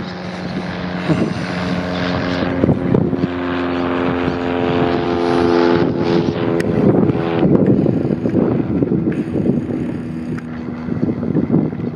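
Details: A steady engine drone from a motorboat, with wind rumbling over the microphone and no animal calls.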